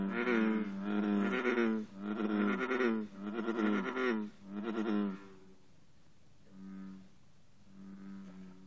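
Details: American bullfrogs in an intense morning chorus at 54 degrees, with green frogs among them: deep, harmonic, droning calls in four or five loud pulses about a second long, then a quieter pause with softer calls.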